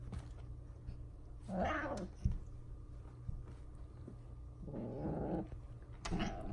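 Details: Two indoor pet cats, described as F2 Savannahs, at a window trying to get a squirrel outside; short strained cat calls at about one and a half seconds and again near five seconds, over a steady low hum and light knocks.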